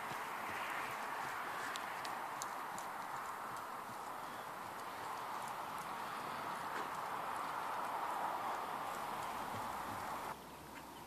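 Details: Mare born in 2009, her hoofbeats thudding steadily at about four per second over a constant broad hiss, with a brief drop in background noise near the end.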